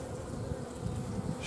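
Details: Honey bees at an apiary on 15 July 2016 during honey extraction from biostup hives: a dense, steady low hum of many bees with a slightly rough, fluttering texture throughout.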